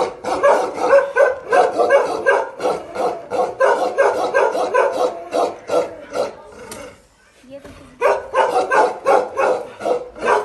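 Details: Bakarwal dog pair showing aggression: a fast, fairly regular barrage of deep barks, a quiet break near seven seconds, then a fresh burst of barking.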